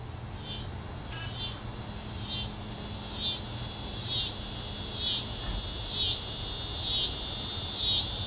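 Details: {'_': 'Tibicen pruinosus cicada calling in a backyard neighborhood at 8:44 pm on May 28, 2012, the second night heard that year, unusually early; loud high buzzing drone pulsing in rhythmic swells roughly once per second, steady low hum beneath.'}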